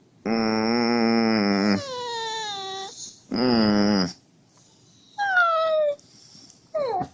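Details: Husky whining to wake its owner, acting as an alarm clock: long, steady, nasal whine-howls with rich harmonics, broken by rising and falling wavering notes and a short sliding yelp at the end, with pauses between.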